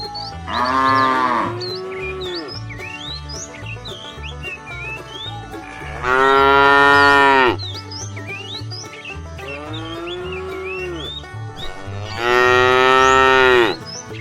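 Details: Herd of tame cows heading off to fresh pasture; three long moos spaced about six seconds apart, each swelling and then falling away, with frequent small birdlike chirps and a low steady rumble between them.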